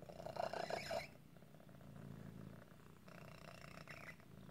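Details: Male cat whose deformity sometimes causes asthma-like breathing trouble: a high squeaky wheezing note for about a second, then a continuous low pulsing purr with a brief squeaky rasp near the end.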